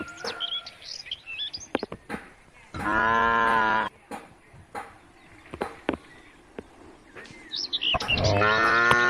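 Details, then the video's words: Cattle roaming rural roads, calling the herd back to the barn: one loud, harmonic moo lasting about a second near the middle and another rising at the end, with bird chirps and scattered clicks between. "the sound of cows roaming the country roads calling the herd home to the barn"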